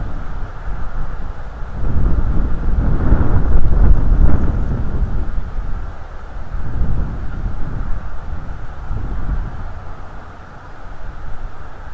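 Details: Low rumbling wind and thunder-like roars swelling and fading, with no animal voice heard.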